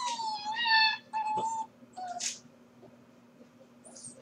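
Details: Home-alone Corgi pup watched on a live stream while the household is at work: long, steady, nasal whines held for about a second each, two in a row, followed by a brief squeak and quiet room tone.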